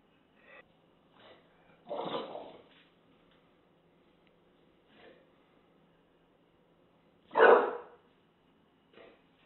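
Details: An English Bulldog confronting a taco box gives two short, gruff, breathy barks several seconds apart, with soft snuffles between.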